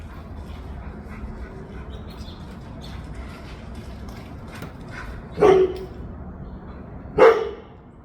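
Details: Mishka, a pet dog wanting to go outside, gives two short, sharp barks near the end, about two seconds apart, after a stretch of quiet indoor background hiss.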